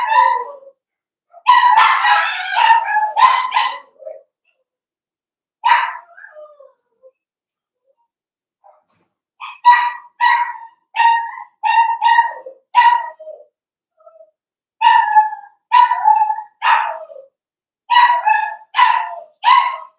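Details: Blenheim Cavalier King Charles Spaniel puppies, from a litter of five born on New Year's, in a home puppy pen: bursts of high, harmonic yapping barks, a dense cluster early, then quick runs of short barks with brief pauses.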